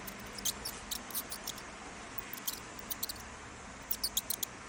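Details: Mouse squeaking in high-pitched bursts: short, sharp, very high chirps in irregular clusters of two to four, with quiet gaps between and a faint low hum underneath.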